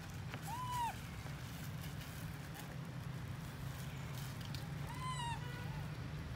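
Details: Left alone by mother Amari, baby monkey Lori gives two drawn-out arching cries, under a second and about four seconds apart, clear and tonal with stacked overtones, against constant low-pitched background noise.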